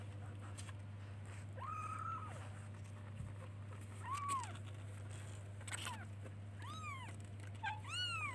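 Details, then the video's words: Kittens searching for and calling to their mother with a run of clear meows. One meow is held and flat, others are short, arched and rise and fall, and they come faster toward the end. A steady low hum runs underneath. "Cute baby kittens looks for and calls its mother by meowing"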